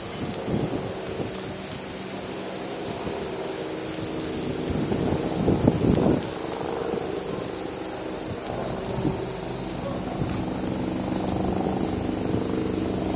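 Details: Summer crickets in Japan keep up an unbroken shrill, even trill in the background while wind gusts and rustling foliage swell and fade lower down, strongest around the middle.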